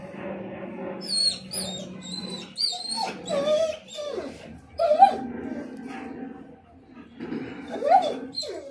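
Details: Excited German Shepherd and Rottweiler mix dog, aware it is heading outside for a doctor visit, makes repeated high whines and yelping cries in quick bursts, with a person speaking nearby.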